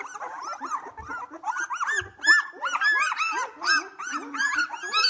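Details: Whinney's litter of Australian Labradoodle puppies, two weeks old, playing indoors: overlapping thin whining squeals rising and falling, several pups calling at once, with faint low bumps between cries.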